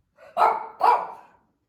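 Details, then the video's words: Female Shih Tzu roaming the family room indoors and barking, possibly bored or at something outside; two sharp, mid-pitched barks in quick succession, the second slightly tonal. "Is our Shih Tzu a good watchdog or just bored?"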